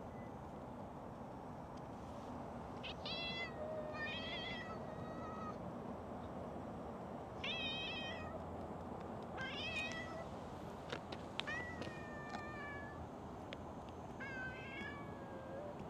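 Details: Stray cats at a Japanese fishing port, a whiskered tuxedo cat and a calico with a heart marking, meowing: short bright meows, several in quick pairs, scattered over the clip against steady outdoor background noise.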